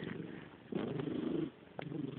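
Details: A cat named Mickey, a female pet said to have a pig-like voice, makes a low rough snorting, purr-like sound in two bursts, the longer one lasting under a second, with quiet breathing between them.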